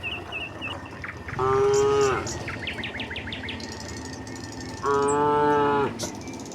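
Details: Tame village cattle trotting downhill to their pen: two steady, level moos about three seconds apart, each nearly a second long, with chirping birds and faint rural background.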